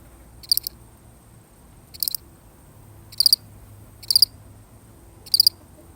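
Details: One cricket on its own chirps in short, shrill pulsed bursts at about one-second intervals, with a pause near the middle and a soft low hum underneath.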